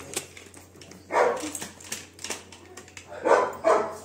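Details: Labrador Retriever indoors, one of a pair of pet dogs named Sophie and Duke; a single short bark, then a pause, then two quick barks in succession, with faint clicks and a low hum between.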